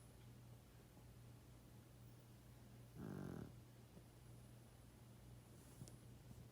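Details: Sleeping 12.5-year-old pug gives a single short, rasping snore lasting about half a second, then the room falls back to a steady low electrical hum.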